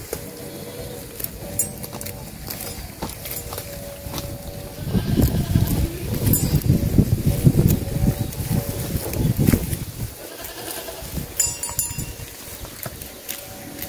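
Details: A farm flock of sheep is driven along during herding. A dense, overlapping chorus of low bleats swells after a quiet start, holds for about five seconds, then fades back to scattered calls and background noise.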